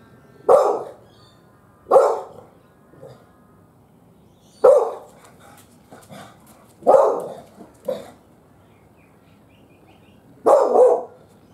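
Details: A domestic dog barks at birds on a fence, sending out about seven harsh, punchy barks, some doubled, at uneven gaps of one to three seconds over a quiet background.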